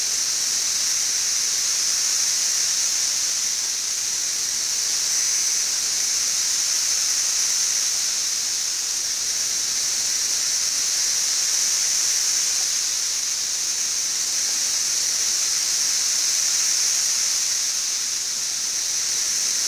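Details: Millions of 17-year Brood XIV cicadas around the west side of Frankfort, central Kentucky, in June 2008, producing a dense steady high drone that rises and falls gently in loudness over twenty seconds.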